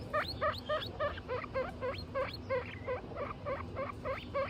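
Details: Pet guinea pig family, mother Butter with babies Lion, Tofu and Mochi, giving high squealing calls that sweep sharply upward, about three per second in a steady run, over a low indoor background hum.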